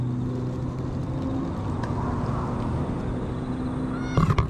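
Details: Stray cat calling from inside bushes, pleased while being stroked, filmed on a GoPro HERO8; one short, rising, bright meow arrives near the end over a steady low engine-like rumble.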